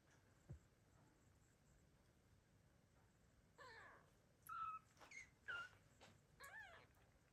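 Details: Abandoned kittens, six left in a home in 2022, meowing loudly to call their mother cat; a run of short, thin, high mews with wavering, bending pitch comes after several seconds of quiet room noise and a faint click.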